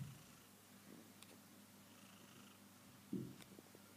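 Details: Kitten purring: a soft, steady low rumble continues throughout, with a brief louder bump near the end.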